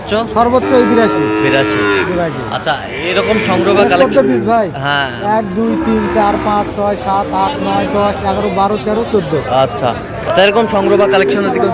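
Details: Sahiwal cattle at a cattle market in Tangail, Bangladesh, on 18 December, where a Sahiwal bull calf was bought; long, drawn-out harmonic moos rise and fall and overlap almost continuously, with faint market background noise.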